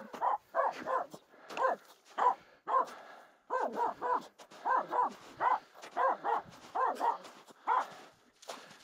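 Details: Still barking at two close reindeer, the Finnish Spitz Aamu sounds off on the snowy climb up Mulen; continuous clusters of two or three barks, about 44 a minute, with light crunching and clicking sounds.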